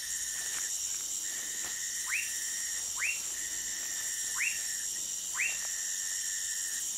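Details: Orinoco lime tree frog from Manaus, Amazonas, Brazil, giving four quick upward-sweeping chirps about a second apart in the second half, against a dense shrill insect chorus and a sustained mid-pitched tone.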